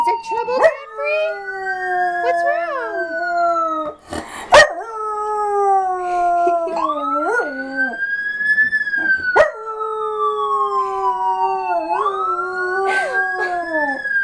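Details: Miniature Schnauzer howling in response to a recorded siren played back indoors; long gliding siren tones rise and fall while the dog's wavering howls overlap them, with brief sharp noises and a person talking now and then.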